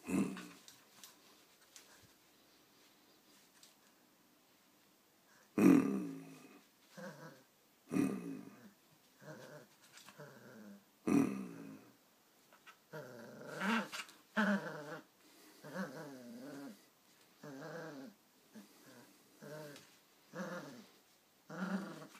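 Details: Irish Terrier puppy growling while playing tug of war in a training session; after a quiet few seconds, rough throaty growl bursts come irregularly, some short and sharp, others drawn out and wavering.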